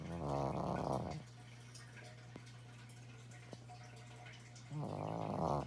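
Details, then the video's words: Pet dog snoring: two rasping, harmonic snore bursts roughly four seconds apart, each lasting about a second, with a steady low hum and near quiet in between. "My dog snores"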